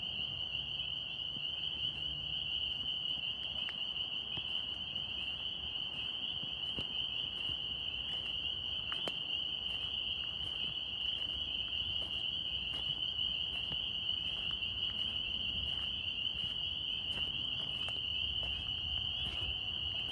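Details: Chorus of Northern spring peepers, a tree frog, in New York. Many overlapping high peeps form an unbroken ringing drone, with scattered faint clicks and ticks.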